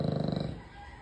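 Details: Sleeping American Bully giving a loud snore: a fast-pulsed low rattling rumble that fades out after about half a second, leaving quiet room tone.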